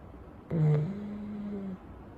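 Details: Chow Chow dog sleeping after his wash on a warm day, left to dry naturally. A single low, droning tone sets in sharply, then holds as a long, steady hum for about a second before fading. The room is quiet otherwise.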